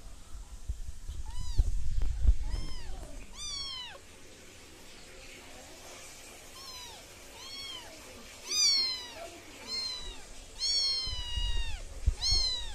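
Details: Cutest baby British Shorthair kittens crying in a rapid run of thin, high meows, roughly three per second at times, with some low handling noise and faint voices early on.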